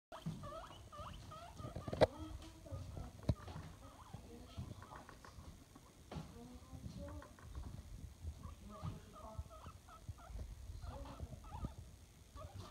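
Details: Pet guinea pig, a recently adopted male, indoors; quiet, short squeaky chirps repeat in loose runs, each note brief and slightly bending, with soft background rumble and a few clicks.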